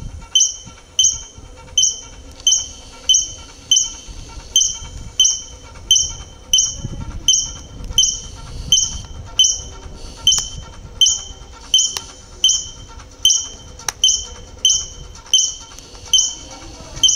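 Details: Squirrel in Metepec, Atlixco gives sharp, high chirping barks, repeated steadily a little faster than once per second.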